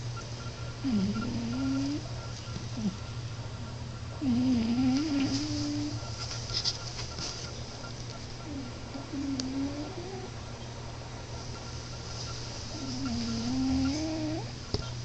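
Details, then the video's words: A sleeping cat named Alex (Moo) snoring. Wavering nasal whistle-like tones come with each breath, roughly every four seconds, some rising and some falling. A constant low electrical-sounding hum runs underneath. "Alex (Moo) cat snoring!"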